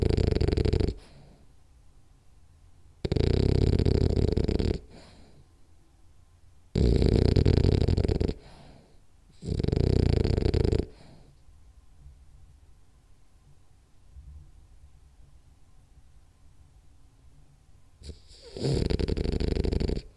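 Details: French Bulldog named Rolly asleep during a ten-minute nap, snoring hard: four heavy, low rattling snores spaced a couple of seconds apart, then a long quiet stretch of soft breathing before another snore begins.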